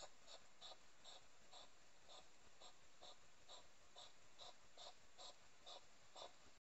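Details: Three wild hedgehogs in a garden in Somerset on the night of 2 July 2020, during courtship: a steady train of breathy puffing snorts repeated roughly twice a second, low in level with light background hiss.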